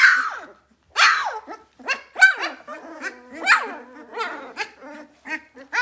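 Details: Two-week-old Vizsla puppies finding their voices give high, wavering squeaks and whines, one after another in irregular bursts.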